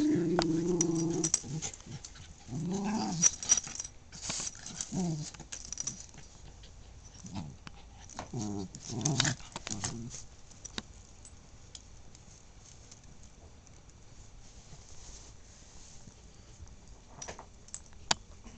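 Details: Indoor tug-of-war play between two dogs: throaty, rumbling growls come in several short bursts over the first ten seconds, then fade to quiet room noise with faint scuffling.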